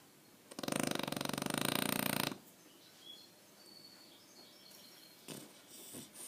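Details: Aquiles the French Bulldog gives a single harsh, vibrating snore almost two seconds long, followed by quiet, faint breathing sounds.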